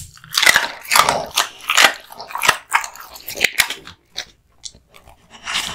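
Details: Kotetsu, a male American Bully born 8 August 2016, eating hung raw meat and bones indoors: bursts of wet, crackling crunches and bites come in quick clusters, then fade into a few soft chews and short silences.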